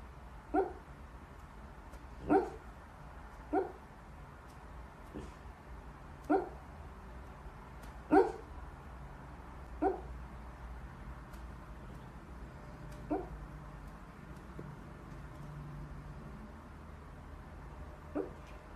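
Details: Corgi Husky mix puppies give a series of short, high yips, about ten scattered irregularly, some a second apart and some several seconds apart, against a steady low background hum.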